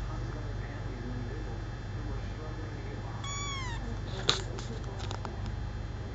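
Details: Single clear, high meow sliding downward from a four-week-old male kitten, rescued at about four days old, followed by sharp clicks and taps over a steady background hum.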